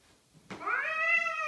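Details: House cat howling indoors after knocking things over in the kitchen; a soft knock, then a sustained, rich, level howl with a slight upward glide at its start, lasting about a second.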